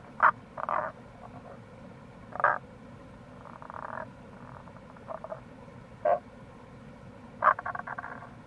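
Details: Tago's brown frogs, wild, by the Kamo River gorge in Itoshima, Fukuoka Prefecture, Japan, in April: loud abrupt croaks roughly every two seconds, mixed with softer rattling pulse series from other frogs, over steady flowing-water noise.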